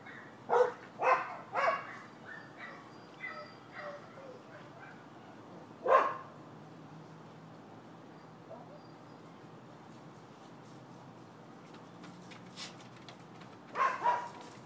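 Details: Nuisance barking from neighbors' dogs, Florida, 12/7/15: a burst of three to four barks at the start, a lone bark near six seconds, then a long lull before two more barks close the stretch.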